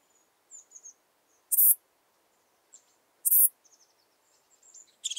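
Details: Steppe saddle bush-cricket song from Pfaffstätten, Austria, in August 2022: sharp, high, breathy chirps repeated roughly every 1.7 seconds, with softer scratchy high notes from other insects scattered in between.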